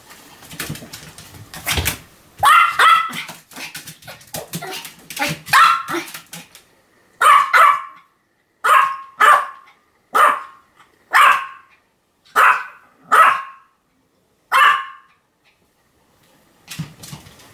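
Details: Sam, a Pomeranian dog, recorded on 7 October 2015, barks continuously. Sharp, yappy barks come in quick bursts, then settle into single barks spaced about a second apart, with short silent gaps between them.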